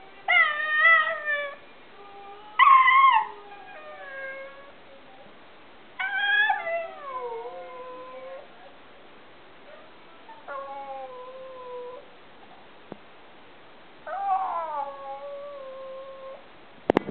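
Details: Male Alaskan Klee Kai, a tiny husky-type dog that likes to talk, giving five separate howling, yodelling utterances across the span, each starting high and sliding downward with wavering harmonics, separated by quiet pauses, a sharp click at the end.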